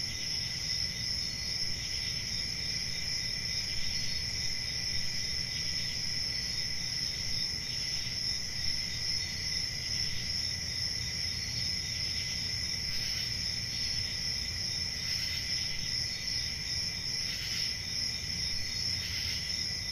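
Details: A dense chorus of crickets at night in a summer forest: continuous high, ringing trills with occasional brief louder pulses late on, and a soft low rumble throughout.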